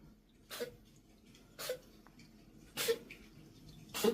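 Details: Pet cat coughing and sneezing, its owner unsure of the cause; four short, sharp, breathy bursts spaced about a second apart, each a quick explosive huff over a quiet room background.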